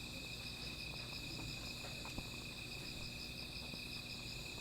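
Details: Insects calling at night beside a small fire: a steady high, ringing trill holds two even pitches throughout, with soft scattered crackles and pops from the fire underneath.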